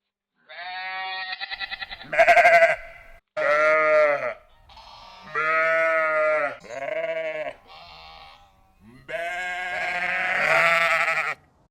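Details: Sheep flock in a rural field, several overlapping bleats: a wavering, tremulous cry, then a loud sharp one, followed by long nasal bleats with short gaps between them, one quieter, ending in a drawn-out call.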